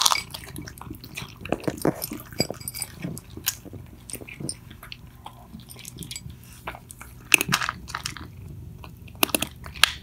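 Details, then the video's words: Two pet cats, Mittens and Mongo, eating loudly indoors: irregular crunchy bites and wet chewing clicks come in quick bursts, with a few sharp louder crunches near the end and quiet pauses between. "Cats eating ASMR"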